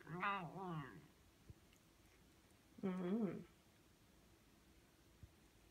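A Bengal cat gives two lazy, drawn-out meows with a wavering, rising-and-falling pitch.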